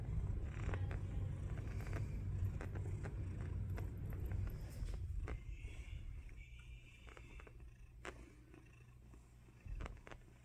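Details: Domestic cat purring, a deep steady rumble pulsing about twice a second that gradually softens toward the end, with a faint higher tone briefly in the middle.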